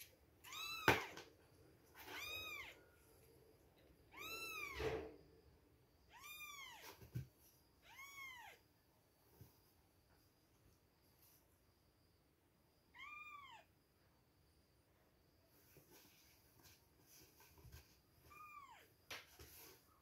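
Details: Baby kittens two weeks old at milk time, crying in clear arched mews roughly every two seconds for the first eight seconds, then a quieter stretch broken by a couple more mews and soft knocks.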